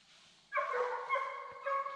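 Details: Baying of a young Redbone Coonhound out coon hunting with the male Hades and the female Copeland's Redhot Maple: one sustained, steady, harmonic bawl, briefly broken by a dip before it resumes, over faint outdoor background.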